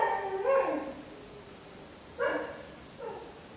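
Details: Female Shetland Sheepdog singing: a wavering, high howl sliding down over about a second, then two shorter yelping howls that dip and fade, in a quiet room.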